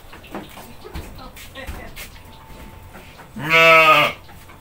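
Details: Goat being hand-fed by a family, bleating once with a loud, wavering, nasal cry lasting about a second near the end, after a child and an adult talk softly while feeding it.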